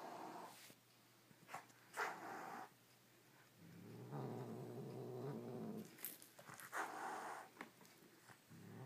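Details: Pet cat defending his toy from another toy, growling low and rumbling in long stretches, broken by sharp broadband hisses and snarls; quiet gaps between outbursts.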